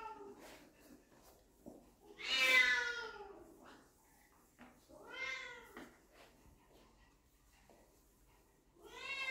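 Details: Puppies encountering their dad for the first time, in a small room, utter a loud, bending whine followed by two shorter, quieter whimpers, with faint background noise between calls.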